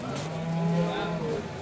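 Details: Simmental cows for sale at the Shahrixon livestock market give a low, steady, drawn-out moo lasting about a second, with men bargaining in the background and faint traffic noise.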